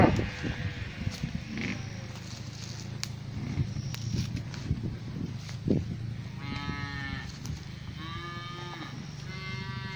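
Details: Pasture cows, the black cow approaching: after six seconds of low rumble and faint clicks come three higher, strained calls, each about a second long with short gaps between.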